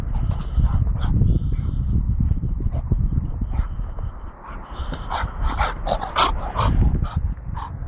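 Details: American Bulldog of the Johnson type, a large adult breeding male, gives high thin whimpering tones near the start and later short bursts of noise, over a heavy low rumble of handling and background noise.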